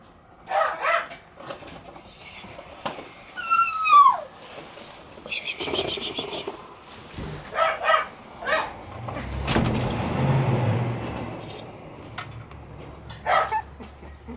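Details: White Shiba Inu female puppy, born 26 December, giving a run of thin, high whimpers that slide downward in pitch over the first four seconds, followed by people talking, clattering handling noise and a low rumble.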